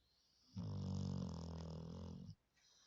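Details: Sleeping Labrador Retriever snoring very loudly, like a person: one long rasping, rumbling breath lasting nearly two seconds, deep and harmonic-rich, then quiet.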